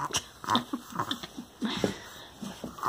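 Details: Chihuahua puppies indoors, just getting used to visitors, give short high squeaky whimpers in scattered bursts over soft rustling and handling noise.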